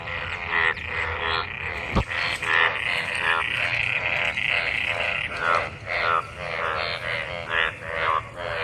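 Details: Numerous frogs in monsoon rainwater, mating and calling: a busy chorus of harsh, buzzy pulsed croaks repeating in overlapping bursts, with one sharp click early on.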